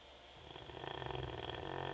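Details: Teco, a sleeping Labrador Retriever, snores indoors with a rough, rasping inhalation that swells steadily and pulses rapidly in a buzzy flutter, growing louder toward the end.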